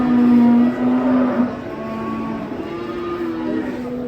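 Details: Cow with its head covered by cloth, raging as it comes off a truck: a strong, steady low moo in the first second and a half, then softer drawn-out lowing, while handlers call out warnings in Indonesian.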